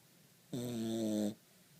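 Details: A Cavalier King Charles Spaniel snoring indoors: one steady, buzzy, low-pitched snore lasting under a second, rich in harmonics, starting and stopping abruptly against a quiet room.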